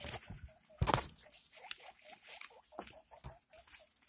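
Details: Pet guinea pig while giving birth to six pups: short squeaky notes repeated in quick runs, several each second, over rustling of bedding and soft handling noises.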